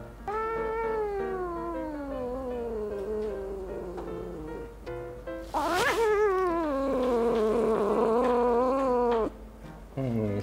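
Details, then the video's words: A pet cat named Suri meows in annoyance and impatience while her claws are being clipped: a series of long, drawn-out, wavering meows. The loudest is a strong rising-and-falling wail near the middle, followed by a shorter cry at the end. "귀엽게 짜증내는 고양이 모음"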